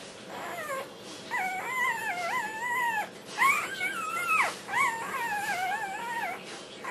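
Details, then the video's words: Eating dinner, a black tri Australian Shepherd puppy born 11/13/08 sings: long, warbling whines that wobble up and down in pitch, strung into drawn-out phrases of a second or more with short breaks. "puppy sings for dinner"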